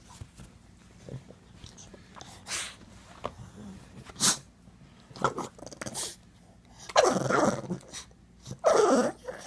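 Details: A male pug indoors grumbles when its owner stops scratching its rump, giving short rough grunting and whining bursts, loudest near the end, with rustling, scratching noises and a man's voice talking to it.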